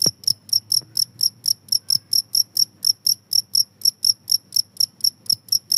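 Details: Steady, bright cricket chirps, meant to drive off rats, about four per second, evenly spaced, each a short shrill pulse, over a quiet low background hum.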